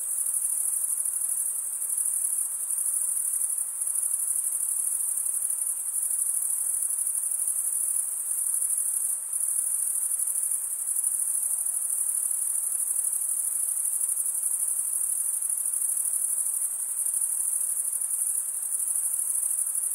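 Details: Crickets stridulating in a dense, unbroken high-pitched chorus, a steady shrill trill that holds level throughout with a faint soft hiss beneath and no other sounds.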